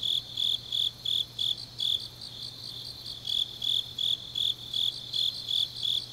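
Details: Grass insects chirping on a deep autumn night in Changnyeong, South Gyeongsang, Korea: high, bright pulses repeated about three times per second in a steady rhythm, with a softer second chorus overlapping and a faint low steady hum beneath.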